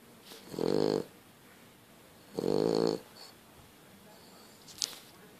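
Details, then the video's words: French Bulldog snoring loudly while asleep: two long, raspy, buzzing breaths about two seconds apart, each lasting under a second, with a faint click near the end. "french bulldog snoring"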